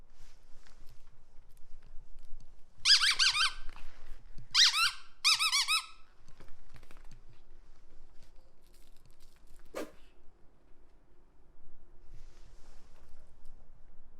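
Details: Pomeranian barking suddenly indoors while bored: three short bursts of high, harmonic yips around three to six seconds, then a single sharp click near ten seconds, otherwise quiet room.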